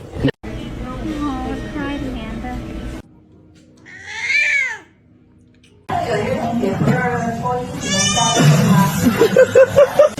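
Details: Pet cat in a small indoor room giving one clear, arched meow that climbs and falls in the middle, framed by people talking and laughing, with a few short squeaky notes near the end.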